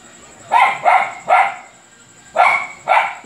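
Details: Luphe, a dog, barking a lot: five loud, harsh barks, three in quick succession, then a short pause and two more, over a faint steady high-pitched electronic whine.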